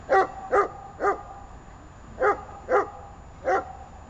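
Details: Obedience training session with the dogs Arma and Buffon: six loud, clipped barks in two bursts of three, the second burst following a pause of about a second.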